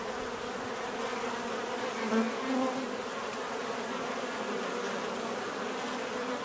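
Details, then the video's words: Natural bee buzzing forms an even background hum, while one nearer bee briefly drones louder in the middle before the steady swarm sound returns. "bees therapy relaxing natural buzzing sound"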